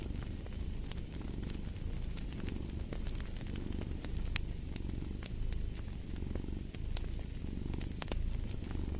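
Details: Cat purr by a fire: a deep continuous rumble pulsing in slow rhythmic breaths, overlaid with scattered sharp crackling pops from the burning logs.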